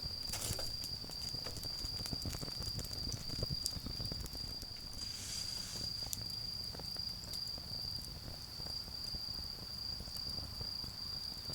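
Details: Continuous high ringing of autumn insects in a garden during a bonfire, partly masked by dense crackling and snapping from the flames, with a brief hiss near the start and another around five seconds.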